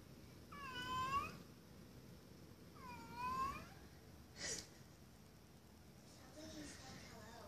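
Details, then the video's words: Pet cat Blue, a male, says his "hello" meow to be let into a room; two clear bending meows two seconds apart, followed by a sharp knock or scratch and a fainter sound near the end. "Funny talking cat says "hello""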